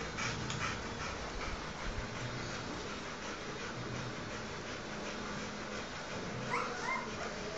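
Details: Newborn Rottweiler puppies nursing from their mother, giving soft, high squeaky whimpers, with a few brief rising squeals near the end over steady snuffling and panting-like background noise.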